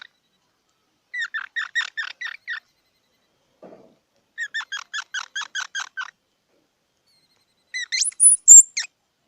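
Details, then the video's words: Squirrel giving squeaky, chirping calls in quick bursts of about eight notes, two such runs, then a higher, sharper squeal series near the end; the gaps between bursts are quiet. "សំលេងដង្ហែន Squirrel 🐿️ Sound"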